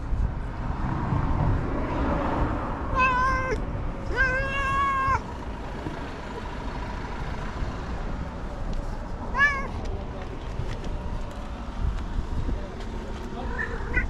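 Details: A stray tabby cat gives short harmonic meows when touched, one near three seconds, a longer one around four to five seconds, and a brief one near nine and a half seconds, over steady low rumbling traffic noise outdoors.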